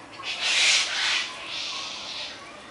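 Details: Greater grison (Galictis vittata), filmed 26 October 2011, gives two harsh, breathy hissing bursts, the first louder and longer than the second.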